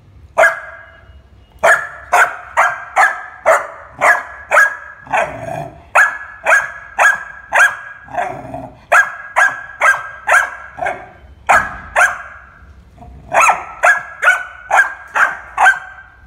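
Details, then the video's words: Labrador Retriever puppy barking in a long, fast run of sharp, bright barks, roughly two per second, with short pauses and irregular spacing and a few rougher, lower barks mixed in. No other sounds compete. "barking Labrador puppy"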